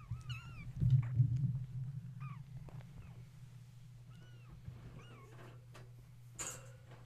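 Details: Kittens woken at bedtime indoors when the space heater was plugged in, playing and climbing around their mother; several short rising-falling high mews scattered through, over a steady low hum and a few knocks.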